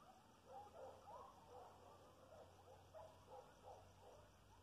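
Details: Coyotes about half a mile away howl and yip together in faint, wavering, overlapping voices.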